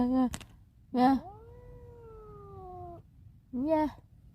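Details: A domestic cat calls out, wanting to escape. A short meow and a sharp click are followed by another short meow, then a long, slowly falling meow lasting almost two seconds, and finally one more brief meow.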